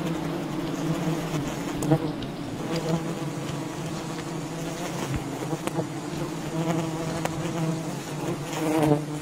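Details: During honey hunting at a wild colony, many bees produce an even, low-pitched swarm hum that swells slightly near the end, with occasional clicks and handling noises.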